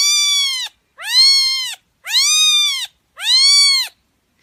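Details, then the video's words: Plaintive kitten meowing for drawing in kittens: four long, loud, slightly wavering mews, each rising and falling gently, separated by brief quiet gaps. "小貓叫聲 吸引小貓咪的聲音 呼喚小貓咪"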